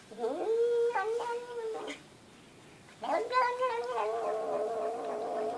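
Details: Pet cat that talks like a human: two long, drawn-out meows, each swelling and then wavering in a slightly nasal, human-like tone, separated by about a second of quiet in a small indoor room.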